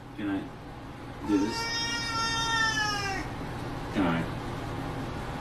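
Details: Domestic cat from a funny cat compilation giving a long, steady, drawn-out meow lasting about two seconds, held at an even pitch, with short vocal sounds before and after and faint human voices in the background.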